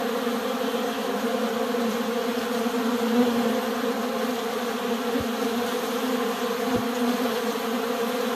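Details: Honey bees attacking honey fill the air with a dense, even drone, a low hum with a bright overtone that never breaks; individual bees cannot be picked out, just one continuous buzz of many wings.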